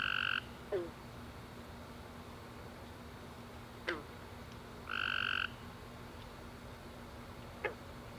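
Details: Tree frogs calling in darkness after a warm rainy summer day: two loud buzzy trills about four seconds apart, separated by quiet background hum and a few soft clicks.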